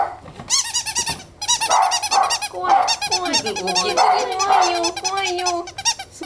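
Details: Chihuahua at a dog college in Tokyo giving rapid high whining yelps and short barks, wavering up and down in quick repeated bursts, with a person speaking faintly.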